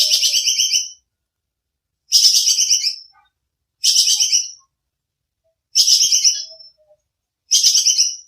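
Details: Tupai kekes, a squirrel, used as training audio for songbirds: five sharp, bright rattling bursts, each about a second long, spaced roughly two seconds apart, clean with no background sound.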